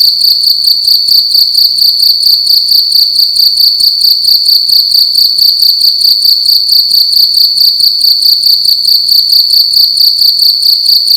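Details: A cricket calling loudly at night within a room: a sustained high-pitched trill throbbing in steady rapid chirps, about two per second, unbroken throughout, with a quiet background.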